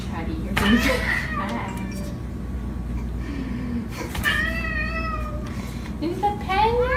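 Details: Domestic cat pestering its owners indoors, giving several drawn-out, wavering meows, one near the start, a longer bending one midway and a rising one at the end, over steady low hum and people talking.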